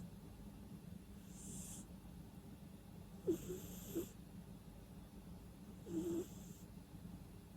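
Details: Cat asleep and breathing noisily through the nose, no music: three soft airy breaths spaced a few seconds apart, the middle one with short snorting clicks, against a quiet low hum.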